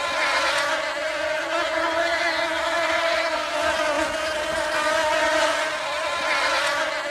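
A dense, steady drone of honey bees, the humming buzz of many wings together.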